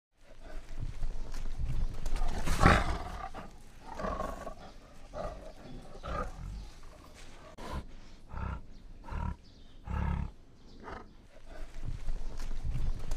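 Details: A white tiger appearing in a forest gives deep, rumbling roars and growls in uneven bursts.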